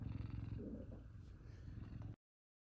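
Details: F2 Savannah cats Kumba and Zara purring at home, happy their owner is back from work; a steady low rumbling purr throbs continuously for about two seconds before cutting off, close to the microphone indoors.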